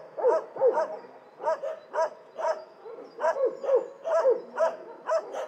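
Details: Dogs in an animal shelter barking, a steady run of short bright barks roughly every half second, some slightly rising then falling, with overlapping voices and a faint room echo.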